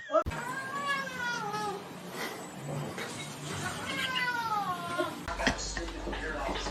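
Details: Domestic cat giving two long, drawn-out meows, each sliding downward in pitch with rich overtones, separated by a short pause, over a low background hum and a sharp click near the end.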